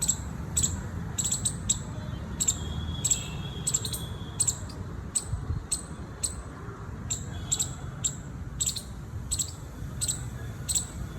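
A squirrel gives sharp, high, clicking chirps in quick uneven bursts over a low background rumble.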